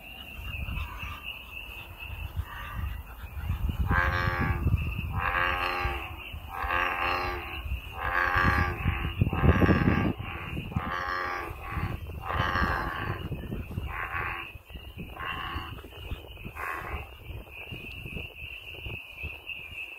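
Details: Outdoors, American bullfrogs call in a quick run of short, throaty, harmonic croaks, bunched into a dense series mid-clip, while a steady high insect-like drone hums throughout and low rumbling noise sits underneath.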